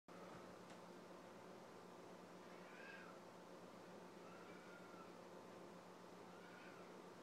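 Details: Domestic cat giving three soft, drawn-out meows, each a brief rising-then-falling wail, spaced about one and a half seconds apart, heard over a steady low electrical hum and constant background hiss.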